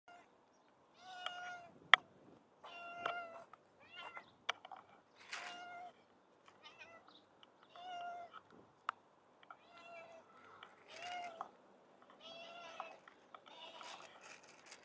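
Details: Hungry street cat being given a much-needed meal, meowing insistently in a rapid string of about a dozen clear, harmonic meows, some short and clipped, others drawn out, with sharp clicks and small noises between them.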